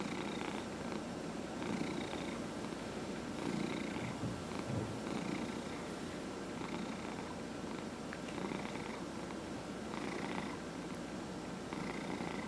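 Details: Indoor domestic cat purring during a massage, one of four cats; long even low purr with regular breathing-paced pulses of brighter texture, faint steady tone behind.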